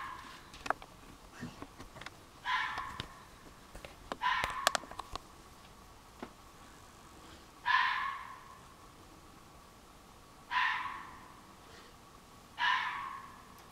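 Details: Loud nighttime red fox calls from woods behind a garden, July 2015: hoarse, rasping screams repeated every two to three seconds, five in all, with scattered clicks and knocks in the first half.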